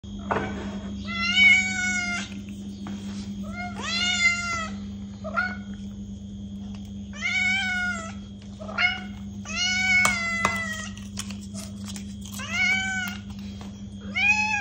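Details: Cat meowing to attract or provoke a reaction from another cat: a series of short, high, harmonic meows, some rising then falling, repeated roughly every one to two seconds, over a steady low hum.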